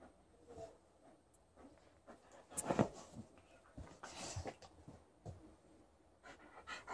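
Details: Alaskan Malamute at play with a tennis ball in bed, quick breathy panting with a sharp thump near the middle, then further huffing breaths and rustling of bedding in a small indoor room.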